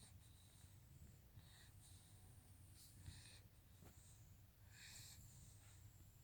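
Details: Sleeping Shar Pei breathing noisily, a string of faint wheezy, hissing breaths over a low background hum, with one short snort near the end.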